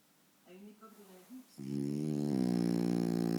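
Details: Sleeping French Bulldog Faro, lying in front of the TV, makes a faint whining snuffle, then breaks into a loud, steady, droning snore that grows stronger to the end.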